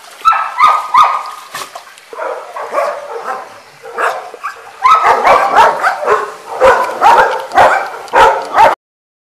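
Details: Dog named Aris in a pool, giving a run of excited, irregular yelping barks and whimpers, bunched in bursts with short pauses between them.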